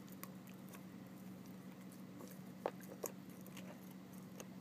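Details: Emma, an 11-week-old puppy, chews rawhide; quiet wet crunches and clicks come unevenly, with two sharper bites near the end, against a constant low hum in a small room.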